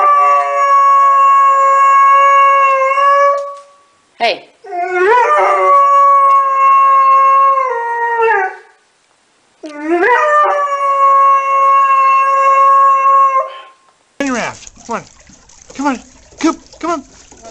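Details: Dobermann giving three long sustained howls separated by short pauses and swooping glides. Shorter yips and squeals follow, with human speech around them.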